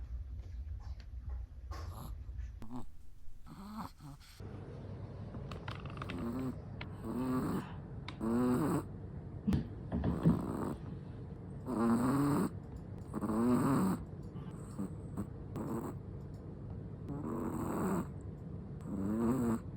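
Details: Sleeping Chihuahua snoring: after a few seconds of low rumbling, soft nasal snores with buzzy, vibrating tones come at irregular intervals of one to two seconds, some louder than others.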